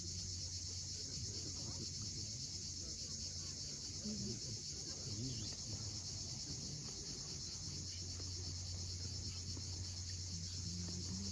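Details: Sunset chorus of cicadas above the sea cliffs of Cape Fiolent, Crimea: an even, sustained metallic buzz without pauses, set against the deep wash of waves and brief faint chirps.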